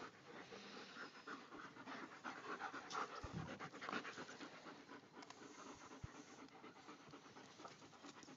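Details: German Shepherds in a pack, panting steadily: rapid, breathy, noisy huffs about twice per second with an uneven rhythm, a few louder thumps and rustles around the middle.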